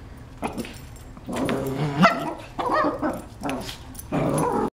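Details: Shih Tzu puppies in a playful gang roughhouse, giving about five short, harmonic yapping barks and whiny yips spread over four seconds, some drawn out into brief whimpering tails, with soft background rustle between them.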